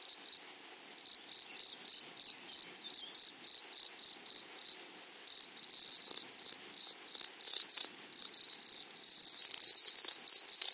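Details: Grasshoppers in a meadow rasp loudly and close in short, high, hissing bursts, about three a second, ending in a longer sustained rasp.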